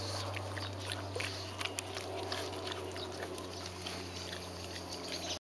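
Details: Two pugs chewing and smacking on grass, with crunchy, irregular snapping and munching sounds over a steady low hum.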